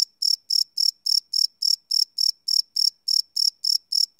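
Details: Crickets chirping at night, recorded live with a Sony PCM D100 field recorder: loud, high, ringing pulses repeated steadily about three times a second, with a clean background and no other sounds.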